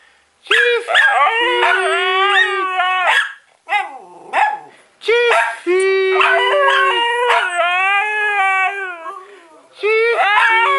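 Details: Siberian Husky singing on cue, pushed by an owner's teaching. It gives sustained wavering howls that bend up and down, breaks briefly near the middle, then resumes with longer quavering notes.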